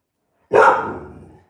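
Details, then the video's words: Dog barking outside during an indoor live stream: one loud, harsh bark that trails off over about a second. "There's dogs barking outside. You can hear them."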